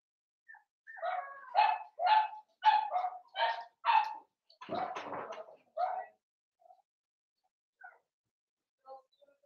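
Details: Blenheim Cavalier King Charles Spaniel puppy, 7 weeks old, one of five littermates in a home puppy pen. A steady run of about eight high yapping barks, roughly two per second, a rougher noisy bark, then scattered faint squeaks.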